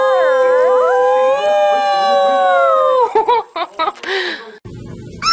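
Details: Puppy howling, possibly learning to howl: one long sustained howl held steady for about three seconds and then dropping away, followed by short yelps, a clatter and a rustling noise.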